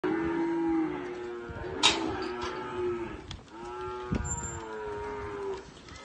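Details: Cows and calves; several drawn-out harmonic moos, one at the start and two longer ones after the midpoint, with sharp clicks and knocks between them.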